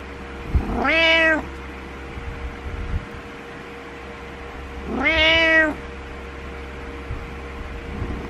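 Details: Indoor pet cat insisting its owner get out of bed every morning, wanting company: two loud, strained meows about four seconds apart, each rising then sagging, with a faint background hum between them.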